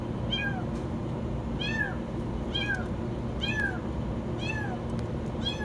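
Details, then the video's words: High-pitched kitten meows from a kitten stuck in a washing machine, about five short, descending cries spaced roughly a second apart, with a constant low rumbling hum underneath. "Kitten stuck in the washing machine meow very high"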